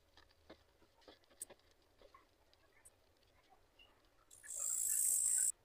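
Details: A Sedakov's bush cricket (Gampsocleis sedakovii) near a black cockroach it wants gives faint ticking, then a loud, shrill, high-pitched buzz lasting just over a second.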